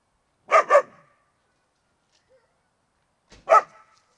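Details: German Shepherd puppy barking: a quick double bark, then silence, then a single sharp bark about three seconds later, with a quiet background.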